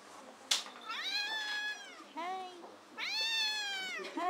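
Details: Three-legged rescued cat at a shelter cat café crying out as it drops from the top of a cat tower, a sharp knock then drawn-out wavering meows, the last rising, in a small room.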